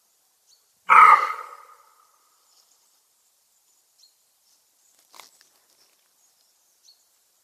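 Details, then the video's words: Roe deer buck (Capreolus capreolus) barking, watched at close range: one loud, harsh, noisy bark lasting under a second and fading, followed by near silence with a few faint ticks and a brief rustle. "szczekający koziołek - sarna / roe-deer / capreolus capreolus"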